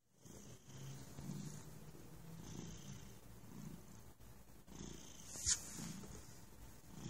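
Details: Relaxed domestic cat purring softly, a low rumbling hum swelling in gentle pulses about once a second, with a faint hiss above and a single sharp click midway.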